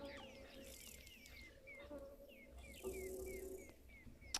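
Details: A tree squirrel at a dam watched by a camera, in African safari country, gives rapid, repeated falling chirps, an alarm call, over a steady low hum.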